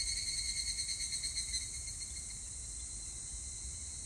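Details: Evening cicada, 25 July 2019, opening with a loud rhythmic pulsing ring that repeats about three times a second, then tapering into a steady buzz under a wash of other insect noise.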